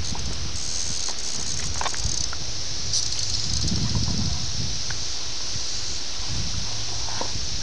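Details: Seventeen-year cicadas of Brood X at Ayersville, Ohio, in June 1987, VHS recording: a constant high whining chorus held steady in the background, while low rumbling handling noise and rustling sit prominently beneath it.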